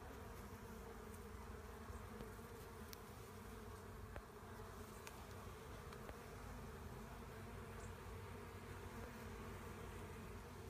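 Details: Honey bee swarm being collected: a dense, steady, low droning hum with layered bands, continuous throughout, with occasional faint clicks and knocks over the buzzing mass.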